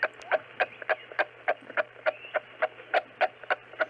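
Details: Kangaroo giving a rapid series of short, dry clucking pulses, about three to four per second, evenly spaced and steady, over a faint low hum.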